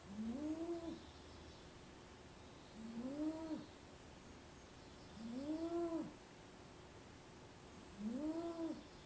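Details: A female domestic cat napping in a small basket snores, four nasal rising-and-falling breaths roughly every two and a half seconds, each with a faint higher overtone, over a quiet background hiss.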